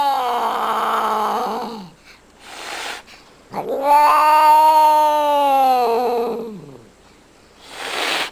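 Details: Cat upset with her owner yowling indoors: two long, tonal, moaning wails, the first falling away at its end, the second swelling and sustained for several seconds, followed by a breathy hiss-like sound.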